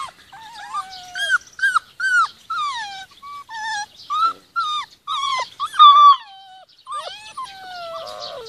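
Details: Rhodesian Ridgeback puppies aged 46 days, playing in the garden with their mum nearby; clear, close whines and squeaky yelps, many sliding downward, come in quick overlapping bursts from several pups against a quiet background.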